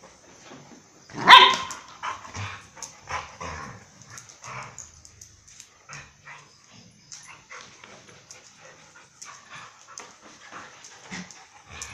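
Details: A single sharp bark rings out early as the dogs Mai and Mocca play at Phuket Dog Resort. It is followed by soft scattered rustles and small noises over quiet background.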